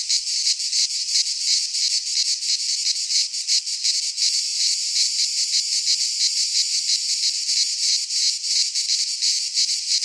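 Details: Cicadas in midsummer in a Greek pine forest, a dense chorus of harsh, buzzy, high-pitched rasping that pulses rapidly and never stops, filling the air without other sounds.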